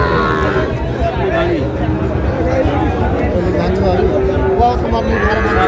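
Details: Sahiwal bull calves at a crowded cattle market in Noakhali, Bangladesh, on 24 February; deep, drawn-out lowing with stacked harmonics carries through the clip over steady men's chatter and crowd noise.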